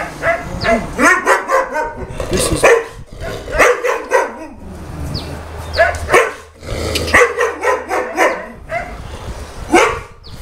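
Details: Repeated barking from Boerboels at the Delatro Boerboels kennel, 30 October 2013; dense overlapping barks in quick volleys with short pauses, plus occasional yips and voices in the background.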